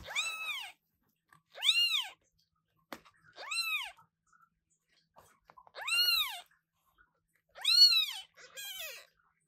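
Newborn British Shorthair kittens give high, thin meows that arch up and fall away, repeated every second or two.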